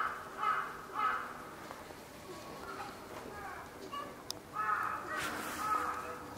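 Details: Ring-tailed lemurs at Saitama Children's Zoo, in the evening of 18 January 2018, give harsh, nasal, mewing calls in short bursts, with a voice talking faintly behind.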